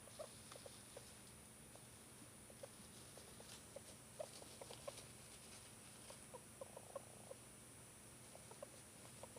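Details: Pet hamster that suddenly began making strange noises after a normal day, otherwise behaving normally; faint, short clicking pulses scattered irregularly throughout, over a steady high-pitched hum.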